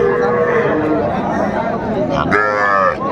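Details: Cattle at a market in Kurigram, Bangladesh, where small young bull and heifer calves are bought by a farmer; a drawn-out low moo sounds through steady crowd chatter and bargaining voices, with a brief clatter near the end.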